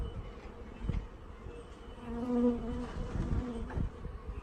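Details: Honey bees being installed from a package into a hive: a low, steady droning hum that swells in the middle of the clip, with bumps and handling noise underneath.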